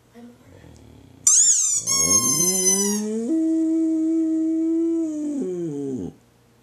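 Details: Boxer dog howling indoors along with a squeaky toy: a sharp high squeak first, then a long, steady, rising howl that holds for about three seconds before tailing off.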